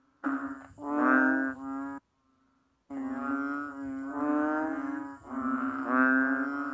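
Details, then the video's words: Banded bullfrog producing nasal, lowing calls: a short burst, a brief silent gap, then a long run of droning moos rising and falling in loudness about once a second. "How the Banded Bullfrog Cry? This sound so amazing!!!"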